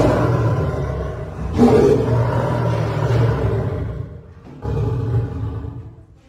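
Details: Caged lion and lioness at Paragpur Zoo, Himachal Pradesh, roaring: deep, drawn-out roars with a low, steady harmonic tone, a brief pause near the middle, then another powerful roar that fades away.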